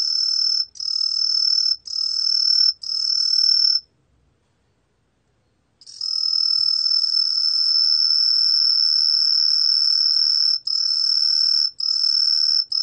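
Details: Truljalia hibinonis tree cricket from the National Institute of Biological Resources, 2020: four clear high chirps of about a second each, a two-second silence, then a long unbroken ringing trill ending in shorter chirps.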